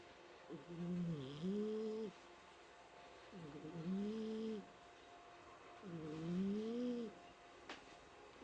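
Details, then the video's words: Mike, a pet cat at home, snores while asleep: three drawn-out nasal, humming snores of about one and a half seconds each, wavering slightly in pitch, one every two to three seconds, with quiet pauses between. "家の猫ちゃん ミケさんのいびき"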